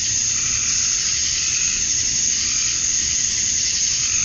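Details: Georgia, USA, summer dusk: male cicadas chirping to attract females form a continuous, even, high-pitched sizzling hum with no breaks, over a faint low rumble.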